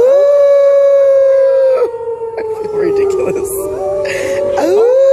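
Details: Gray wolves at the San Diego Zoo in 2014, prompted by people howling to them, give long, steady, overlapping howls, with one voice lifting into a rising note at the end.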